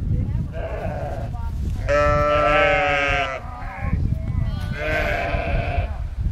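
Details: Two lambs rejected by their ewe and nursed by a sheepdog on a farm; a loud, strained bleat near the middle, followed by shorter bleats, alongside steady low rumble and possible voices.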